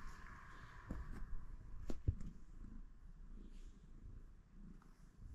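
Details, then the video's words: Domestic cat purring in the morning: a soft, low, continuous rumble with a quick pulsing rhythm, a few sharp clicks or taps in the first two seconds, and a faint background hiss that fades out. "Starting my day with my Cat's adorable Purrs!"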